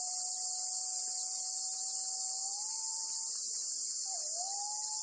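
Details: Black cicada caught by a golden-web spider on Amami Oshima, Japan: a dense, steady high hiss fills the air without break, while a thin, even whistle-like tone runs low beneath it and rises slightly partway through.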